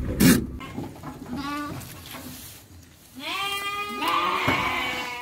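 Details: Garut sheep lambs about three months old, being shipped to Purwakarta, give wavering harmonic bleats: a short one early, then two longer, overlapping bleats from different lambs, with a knock and background shuffling.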